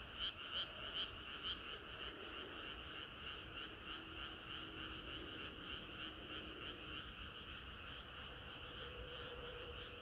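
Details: Summer-night frog chorus with overlapping croaking voices, a few louder pulsed calls at the start, then a softer continuous layered trill and a faint low hum over a steady background.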